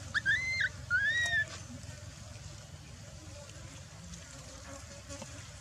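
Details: Lying on the ground, neglected by mother Dolly, the baby macaque Dalton lets out two quick, thin, arched whistling cries in the first second and a half, followed by quiet background hum.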